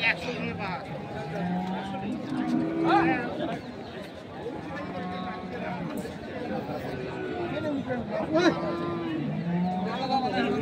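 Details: Holstein Friesian bulls fit for farming, traded at the Saturday Kaharol cattle market in Kaharol upazila, Dinajpur, on 9 March 2025. Several low, drawn-out moos rise through the clamour of men haggling over prices and steady crowd chatter.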